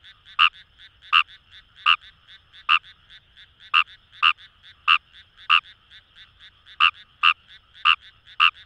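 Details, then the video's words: Fejervarya kawamurai, Japanese rice-paddy frog, in rice fields of the Kamo River area, Itoshima City, Fukuoka; bright clicking croaks spaced under a second apart stand out against a dense, even hum of further calling frogs. "Wild Frog Call | ヌマガエル"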